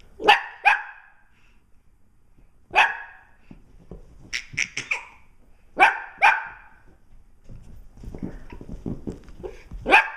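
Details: Dogs barking indoors near an eight-month-old baby: sharp, loud single and double barks in irregular bursts, some in quick clusters of three or four, with quieter rustling and faint background noise between them.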